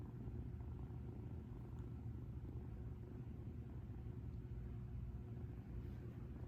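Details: Female rescued cat Uutan purring while relaxed, recorded close as if lying beside her: a steady, deep, continuous low rumble throughout, without clear breaks and with no other distinct sounds.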